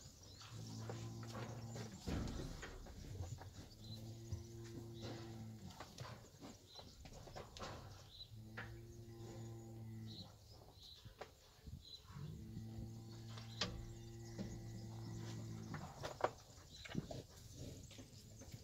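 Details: Fighting bulls and young bulls in a herd: four deep, hoarse moos of about two seconds each, repeated roughly every three to four seconds, with thuds, rustling and low outdoor noise between them.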